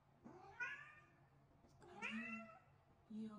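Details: Vocal pet cat answering when its owner calls: two clear drawn-out meows, each rising then falling, about a second and a half apart, followed by the start of a third. Quiet indoor background.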